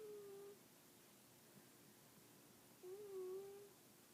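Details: A kitty snores indoors, giving two thin, whistled, steady-pitched tones in a quiet room, the first trailing off and the second, about three seconds later, lasting nearly a second.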